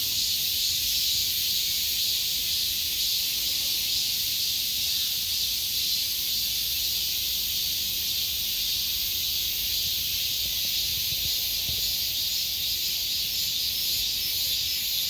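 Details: Long, even drone of a summer cicada, a piercing electric-sounding buzz sustained without breaks, its high bands shimmering slightly while the overall loudness stays flat.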